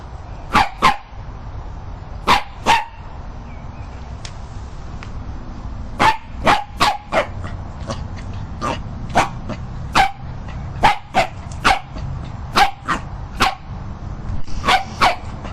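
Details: Dog from a funny dog compilation barking in sharp, short bursts, often in pairs, repeated irregularly through the clip over a low background hum.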